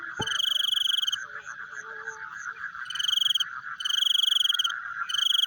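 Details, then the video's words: Frogs calling in the night, with a sharp click at the start, then a pulsing background chorus and high, buzzy trills in bursts, a longer run near the end. "The Sound of Frogs Chewing in the Night"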